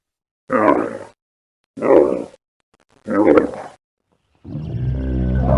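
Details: Wild Bactrian camel (Camelus ferus) making three short, throaty grunts about a second apart, followed by a longer, deeper, droning groan with a steady harmonic rumble.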